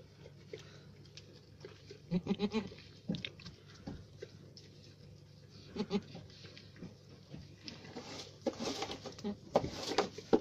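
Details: Alpine goat on a farm, giving short quavering bleats around two seconds and again near six seconds, followed by rustling and handling noise toward the end.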